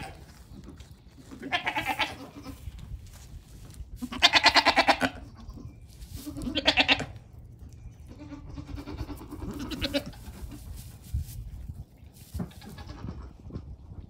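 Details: Goat kids between one day and one week old on a farm, playful and friendly; several wavering bleats in separate bursts around two, four to five, seven and nine to ten seconds, with rustling and background noise between.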